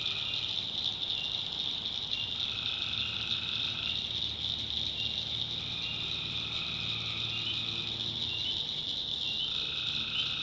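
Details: Many tree frogs sing together at night in a North Carolina swamp, a steady high-pitched wall of trilling broken by repeated lower buzzing bursts about two seconds long.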